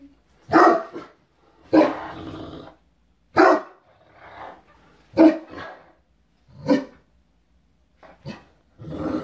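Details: Great Danes, including Drake, a black Great Dane three weeks into his new home, play rough on a bed indoors; loud, gruff barks with growly edges come in about six bursts roughly every one and a half seconds.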